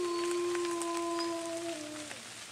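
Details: Gray wolves, a captive pack at Bays Mountain Park, give a chorus howl of over two minutes in the rain after a human howl starts it: long, steady, overlapping tones sliding gently downward at the end, with rain behind.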